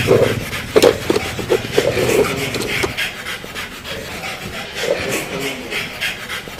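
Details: Pug dog giving rough, rhythmic snorting pants, short raspy bursts coming in uneven clusters, louder in the first seconds and then softening, with light rubbing noises in the background.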